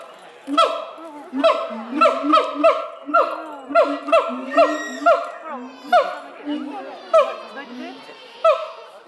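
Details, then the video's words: Siamangs at Chiba zoo, Japan, May 2021, three animals singing to each other, a morning habit: rapid series of loud barking hoots over deep resonant booms, roughly two per second, building into a dense rhythmic chorus. "Siamangs singing フクロテナガザルの歌声"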